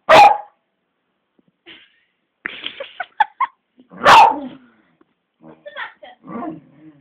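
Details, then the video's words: Pet beagle barking wildly at an old black labrador that does not want to play; two loud sharp barks about four seconds apart, with laughter and yips between them. "Bella goes mad"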